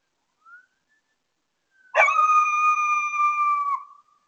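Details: Coyote heard at 3:36 am on August 25, 2022: a faint short rising note, then after a pause a long, steady, clear howl holding one pitch for nearly two seconds and dipping briefly at the end. The night is otherwise silent.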